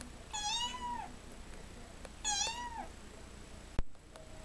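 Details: Stray kitten, six weeks old, newly adopted and kept indoors in a bathtub, giving two clear, high meows about two seconds apart, each rising then falling; a sharp click follows, with a woman talking softly to it.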